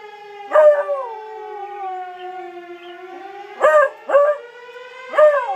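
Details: Domestic Bluetick Coonhound answering sirens with repeated howls: a long, wavering howl that falls away, then a quick cluster of short, loud howl bursts, with siren tones sounding steadily behind.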